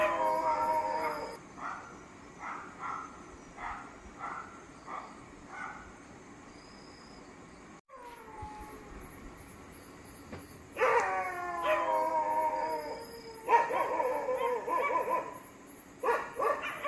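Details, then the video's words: Angry dog barking in the dark night: a string of fairly faint barks, a short gap, then louder, drawn-out, tonal barks and yelps in bursts, over a steady background hum and faint high ticking. "Angry dog barking in dark night.scary dog sound"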